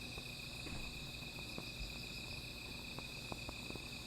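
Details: Night insects singing near a small fire, a continuous shrill ringing hum holding at a constant pitch while brief snapping crackles of burning wood break through now and then.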